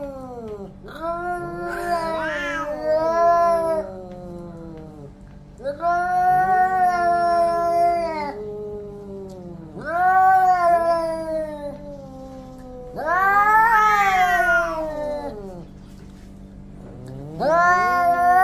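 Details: Orange domestic cats fighting each other: long, wavering, harmonic yowls in about five drawn-out bouts, each several seconds long, rising and falling in pitch with brief quieter gaps between them.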